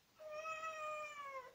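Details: Domestic cat giving a single drawn-out meow lasting over a second, clear and tonal, holding steady then sagging slightly in pitch at the end; quiet background.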